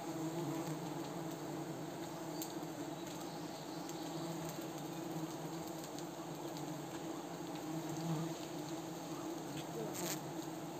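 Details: Himalayan cliff honey bees at a mountain colony, disturbed while villagers harvest honey in Wui village. A continuous thick swarm drone with steady low tones runs for about eleven seconds, broken by a few sharp clicks.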